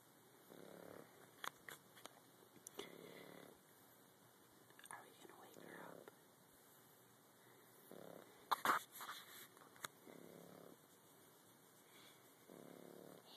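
A French Bulldog puppy snores softly, with a low rasping breath every two to three seconds.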